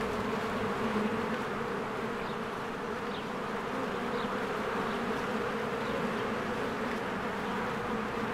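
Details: Springtime honeybee hive with swarms of bees coming and going, recorded on a Canon EOS R; a steady humming drone, slightly softer midway, with faint high bird chirps appearing around the middle.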